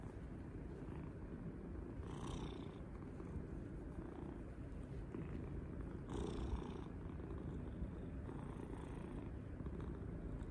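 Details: Pet cat purring loudly with enjoyment while being petted and cuddled at home; a continuous low rumbling purr runs throughout, broken by brief brushing, rustling sounds from the hand near the two- and six-second marks.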